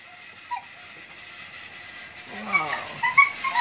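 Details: Siberian Husky in a mating context: a brief soft whine early on, then quiet, followed by a burst of high, quick yelping whimpers and squeaky cries over the last second and a half.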